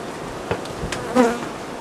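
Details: Honey bees around a summer apiary pavilion housing bee colonies, kept under organic beekeeping: a short humming buzz swells near the end, a low steady tone with a higher overtone, after a couple of faint clicks over soft background hiss.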